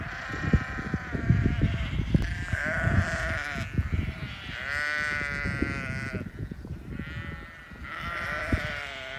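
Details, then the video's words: Hungry Lincoln Longwool sheep with their grown lambs in England, several animals bleating in overlapping, wavering, harmonic-rich cries, one after another across the flock, over constant low thumping and shuffling noise. "ಇಂಗ್ಲೆಂಡ್ನಲ್ಲಿ ಕುರಿಗಳ ಕಲರವ | English Lincolnshire long wool sheep"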